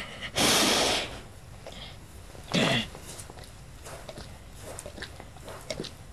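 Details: Lula, an old pet dog asleep on her bed at Christmas, snoring: two loud, breathy, wheezing snores about two seconds apart, the second one shorter, followed by quiet breathing and faint mouth clicks.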